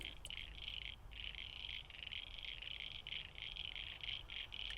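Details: Many frogs, heard from a car driving through a new development area in Norwest, Sydney, form a dense chorus of high, rapid trilling pulses that runs continuously over low rumbling road noise.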